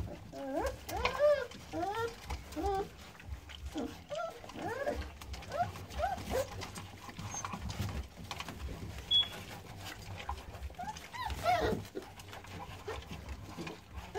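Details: Newborn American Staffordshire Terrier pups, born 9-6-17, give many overlapping high arched squeaks and whimpers through the whole stretch, some briefly rising then falling, with low rumbling handling noise and murmuring underneath.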